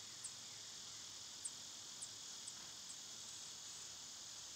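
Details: Steady, high, buzzing wash of summer cicadas. Short, very high chirps pop out about once a second above the drone.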